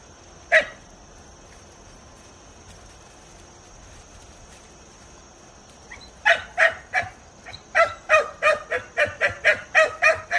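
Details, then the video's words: Two-month-old Kishu dog puppies seeing a wild boar for the first time, hunting dogs: a single sharp bark, then about five seconds of quiet before a run of rapid, high yapping barks. "生後2ヶ月の白虎（トラ）と朱雀（すざく） 初めて猪を見る"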